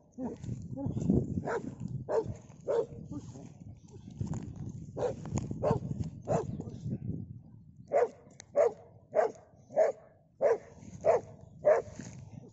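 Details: Pit bull dog fighting a Komodo dragon, barking in a steady series of short sharp barks about every half second, louder and regular in the second half, with people talking and background noise throughout.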